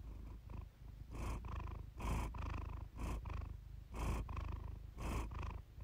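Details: Close-up purring of Iris, a pet cat, captured for purr therapy; a deep vibrating hum rising into louder pulses on each breath, about one per second.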